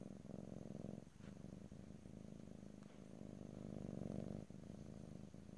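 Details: Domestic cat purring, recorded in stereo ear to ear with no talking: a steady, low, vibrating rumble that swells and fades with each breath, with a short break just after one second and another near four and a half seconds.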